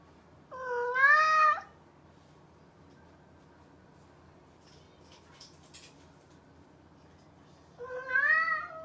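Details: Mischievous house cat meowing twice indoors: a loud rising meow near the start and another several seconds later, separated by quiet with a few faint clicks and rustles.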